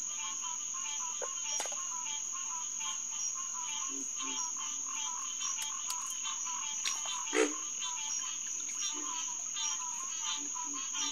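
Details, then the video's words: Hyla cinerea, the green tree frog, chorusing at Headquarters Pond in SMNWR on a June 2021 night near 9:10 pm. Dense honking calls from many frogs, lower grunting notes from another caller, occasional sharp clicks and a continuous high insect whine. "Green Tree Frog Chorus"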